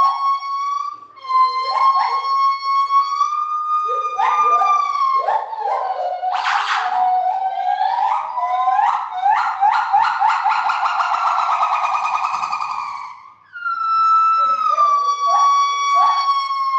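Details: Captive gibbons in a zoo's main gibbon house, a noisy group: sustained whistled tones mixed with accelerating whooping notes that build into a dense, rising and falling climax, then a clear held whistle and further hoots.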